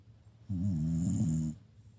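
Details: A single drawn-out snore from a Shiba Inu, a deep, vibrating, nasal rasp lasting about a second, set against quiet room background.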